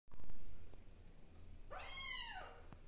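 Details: Kittens getting used to a new environment; a single drawn-out, arching meow rises and falls near the end, after a low thump at the start, in a quiet indoor room.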